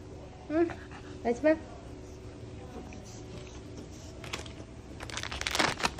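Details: Maltese dog named Dubu, recovering from cruciate ligament surgery on the day before leaving the animal hospital, indoors. It gives short high whining whimpers with wavering pitch near the start. Human speech and rustling, crinkling handling noises follow.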